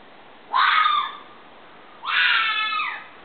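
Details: Fox giving two drawn-out, raspy screams about a second and a half apart. The second is longer and falls slightly in pitch at the end, over a quiet hissy background.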